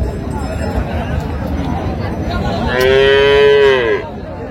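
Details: Cow with calf for sale at Raniganj haat, Dinajpur, June 26, 2025, gives a single loud, rich moo lasting about a second, rising slightly then dropping at the end, amid background chatter of buyers and sellers.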